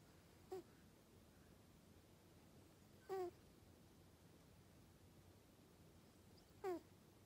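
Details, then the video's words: Snoring from a sleeping Norwegian Forest Cat: three short, squeaky, slightly falling snore sounds about three seconds apart, against soft steady room noise. "イビキをかく猫 ノルウェージャンフォレストキャット Snoring.Norwegian Forest Cat."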